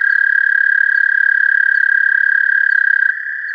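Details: An American toad gives a long, steady, high musical trill with a fast even pulse, recorded with a parabolic microphone.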